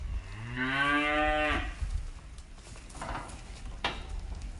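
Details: Cow giving a single drawn-out moo of about one and a half seconds, rich and nasal, pitch rising slightly then holding before cutting off, followed by faint shuffling noises and two sharp knocks.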